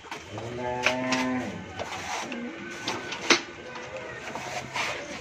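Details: On a Bangladeshi dairy farm in Pabna, a Friesian cow that has calved once moos for about a second in a rich, steady tone. Shorter, quieter lows and scattered clatter and knocks follow.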